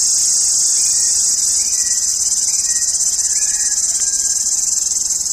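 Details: A loud summer cicada from India gives a steady, high, hissing shrill that runs without a break. Faint short whistled notes sound underneath it.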